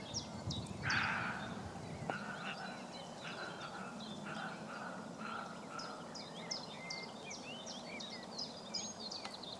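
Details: A male roe deer, wary, barks back in answer to a man imitating its bark: a single harsh, hoarse bark over a steady background hiss and chirping birds.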